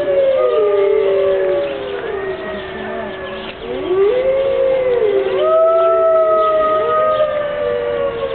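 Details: Dense group howling by five Siberian wolves in Berlin Zoo, rainy morning; many overlapping drawn-out tones swoop up and down and cross each other, forming a thick, continuous, harmonized wail.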